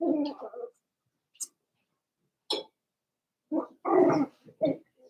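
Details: Four-week-old Cavalier King Charles Spaniel puppies from Daisy's litter, kept in a puppy pen indoors, give short harmonic whimpers and squeaks in separate bursts, with quiet gaps between them and a couple of brief high clicks.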